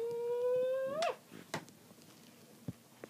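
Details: Pet dog indoors gives a steady, high whining tone held for about a second, rising slightly at its end, followed by soft scattered clicks and rustling in a small quiet room.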